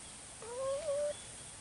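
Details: Domestic cat, one of two cats calling to each other but unable to be together: a single drawn-out meow lasting under a second, rising at first, then wavering and holding steady before cutting off, over a faint steady background hiss.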